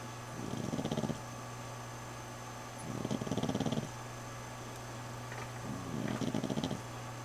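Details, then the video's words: Female dog asleep indoors in a bedroom while wounds from a fight with another dog heal, drains in her leg. Three rough, pulsing rattly snores arrive about every two and a half to three seconds over a steady low hum. "Snoring Dog"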